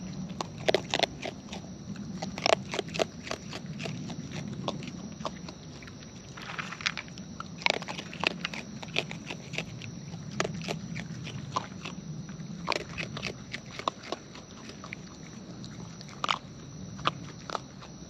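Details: Raccoons in the wild feeding at close range; wet, crunchy bites and smacking come in bursts, some loud snaps, over a soft low background hum and a steady thin high whine.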